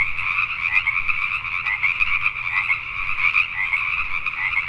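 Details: Night chorus of Pacific tree frogs in Richmond, British Columbia, Canada; many overlapping raspy croaks form an unbroken, pulsing wall of sound across the whole stretch.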